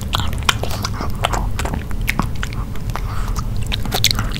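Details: Nino, a pet dog, biting into grilled pork in a small room for a no-talking ASMR mukbang; quick sharp bites and crunches with moist smacking.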